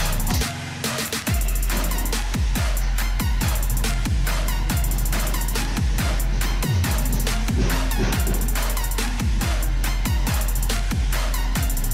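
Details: Loud electronic dance music with heavy bass drops and drum hits plays throughout, with no animal voice.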